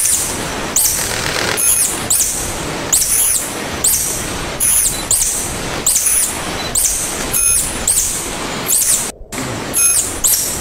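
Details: Tarsier, known locally as tangkasi or little monkey, calling: thin, very high squeaks and chirps repeated about once a second over steady pulsing broadband hiss, with a brief dropout near the end.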